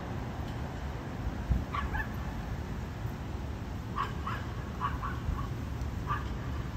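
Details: Condominium dogs whose barking, repeated three times daily, disturbs neighbours; a scattered run of distant barks, some paired, rising out of heavy low-pitched background rumble.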